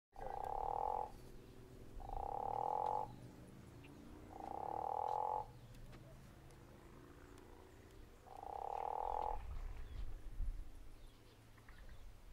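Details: Guttural toad at Zeekoevlei giving four loud, snoring croaks, each about a second long, spaced irregularly over a low background rumble.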